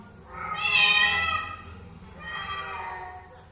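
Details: A domestic cat gives two drawn-out meows, the first louder and rising then falling, the second softer and shorter, both with rich stacked harmonics, recorded indoors against a low background hum.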